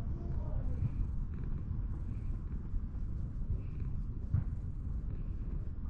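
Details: A sulky-faced cat rolls over to show its belly while seeking affection, purring as a steady low rumble throughout, close and continuous, with faint soft voices and a distant vehicle hum in the background.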